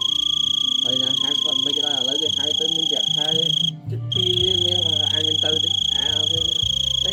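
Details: Big cricket described as screaming loudly: a steady, unbroken high-pitched whine with a fainter higher overtone runs through the whole stretch, briefly cut off midway, while people talk over it.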